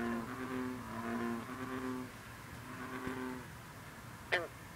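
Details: Low, humming, repeated notes from bullfrogs and other green frogs fill the opening, then a green frog (bronze frog) adds two abrupt banjo-like twangs near the end, recorded on a humid night with mist rising off the water.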